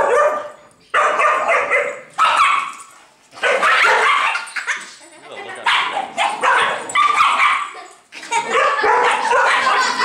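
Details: Female pet Dachshund, very angry, defending her nest from a neighbour's dog that wanted to play. Harsh, snarling bark bursts come in clusters separated by short gaps, with people talking in the background.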